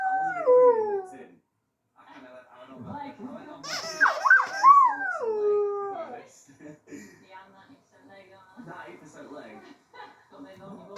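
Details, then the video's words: A singing dog howls twice early on, with falling, quavering tones, the second preceded by a sharp rising yelp. Quieter mixed sounds, possibly voices, fill the remaining half. "singing dog"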